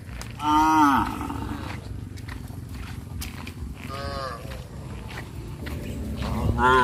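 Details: Village cattle wandering freely; one loud moo with a falling tail opens, followed by a softer, fainter moo around four seconds and another starting at the end, with steady low rural background hum.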